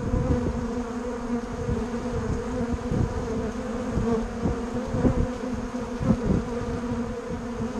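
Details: A continuous buzzing of bumblebees and honeybees at Bourneside, a dense, even hum of many insects, with short louder surges every second or so as bees fly near.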